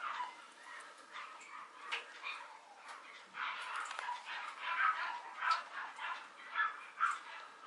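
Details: Young male Mame Shiba at a Japanese breeding kennel gives a series of short high whining yips, several pitched whimpers spaced under a second apart, growing stronger toward the end.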